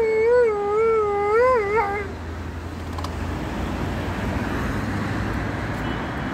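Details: Alaskan Malamute howling with an ambulance nearby: a wavering, undulating howl for about two seconds that breaks off into a quivering finish, followed by steady low background rumble.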